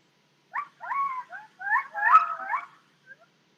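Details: Song of Dexter, a rescued gibbon at a gibbon rehabilitation project, sung like his mother's and father's and now a happy song: clear, sliding whistled notes, rising and falling in a quick phrase of about two seconds, with a brief trailing note.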